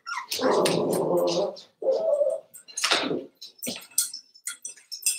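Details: Cavalier King Charles Spaniel puppies, five weeks old, kept indoors in a puppy pen. A drawn-out tonal whimper over a second long, then shorter wavering whines and scattered high squeaks.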